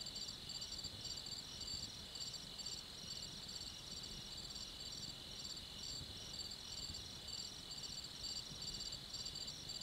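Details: Crickets at night giving rapid, rhythmic high-pitched chirp pulses layered on a steady trilling hum, with a faint low rumble underneath.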